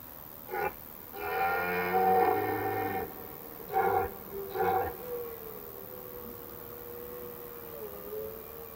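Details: Red deer stag during the autumn rut, which begins mid-September, roaring in an evening forest to attract hinds and deter rivals; a single drawn-out guttural bellow, two short grunting calls, then a thin steady tone.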